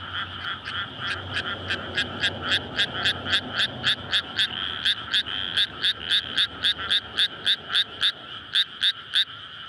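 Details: Frogs calling for mates in a newly flooded rice paddy on a May night; one loud caller gives sharp, evenly spaced croaks almost four per second over a softer background chorus, with a low engine-like hum early on.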